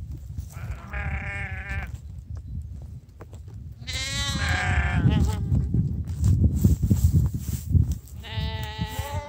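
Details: Sheep called in for breakfast bleat three times, each a wavering, harmonic-rich cry about a second long, while a person calls "chodź, chodź" in Polish and low rumbling handling noise fills the gaps.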